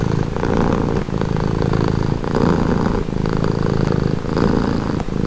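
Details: Close, loud purring from a cat, offered as a relaxing sound: a deep rumble rising and falling in regular breaths about once per second.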